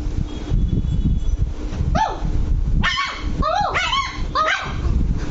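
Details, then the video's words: Angry Lhasa Apso puppy named Luci: after a low rumbling start, a burst of high, arched yapping barks with bright harmonics comes in quick succession. A faint voice sits in the background. "Lhasa Apso puppy angry"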